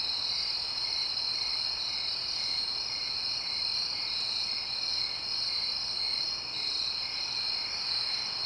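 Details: Suburban night ambience of crickets, with quiet distant traffic. Dense, high-pitched trilling rings without pause, with brief, gentle surges around the middle and near the end.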